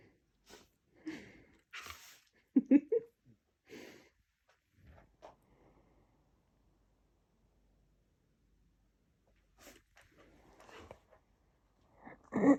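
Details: Siberian Husky sneezing indoors in a small room: a series of short, sharp, breathy bursts, several clustered in the first few seconds, then a quiet stretch before more snorting sneezes near the end.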